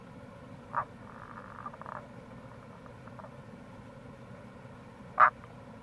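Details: Wild Tago's brown frog calling in April beside the Kamo River gorge, Itoshima, Fukuoka, Japan: two short, loud, hoarse croaks about four seconds apart, with a fainter pulsed, rattling run of notes between them over a steady low stream rumble.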